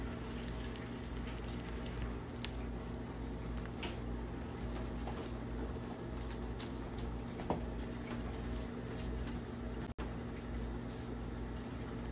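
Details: A guinea pig enjoying bok choy: scattered crisp chewing clicks and crunches at irregular intervals through the clip, over a steady low indoor hum.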